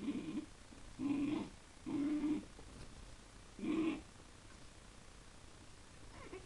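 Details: Mini English bull terrier indoors at a fish tank, watching a small fish that keeps staring back: four low, tonal, moaning grumbles, each about half a second long, coming roughly once a second, with quiet background hiss.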